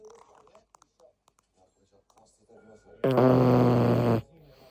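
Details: Sleeping Cavalier King Charles Spaniel snoring so loudly it seems deliberate: after soft scattered breathing noises, one long, low, buzzy, steady snore lasts about a second.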